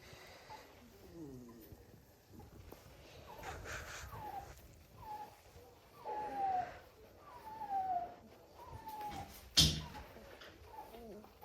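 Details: German Shorthaired Pointer puppies indoors, whimpering in a run of thin, falling whines, each sliding downward and coming every one to two seconds, with soft background voice and a sharp knock near the end.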